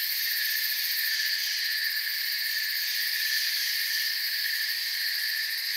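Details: Forest crickets in a dense, unbroken chorus: several layered shrill, high-pitched bands hum steadily with no pauses or change in loudness, and no other animals, voices or music stand out.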